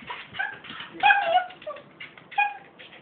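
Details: Pembroke Welsh Corgi giving a run of high, tonal whining yips with bending pitch, several short nasal bursts in about three seconds, loudest in the middle and near the end.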